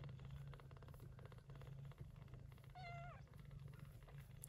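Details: Yupi, a gray short-haired Persian Chinchilla mother, caring for kittens born in an early-September typhoon: continuous low pulsing purr, interrupted midway by one short, slightly falling high-pitched meow.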